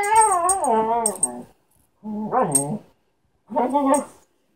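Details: Lunatic, a pet Siberian Husky pestering the household cat Tink because it wants to play, gives drawn-out, wavering woo-like vocalizations: a long wobbling phrase, then two shorter rising-and-falling calls after brief pauses.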